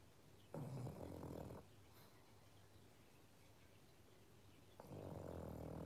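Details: A pug wearing a sweater snores while sleeping after a fun day, giving low, rattling, breathy snores with quiet gaps between them.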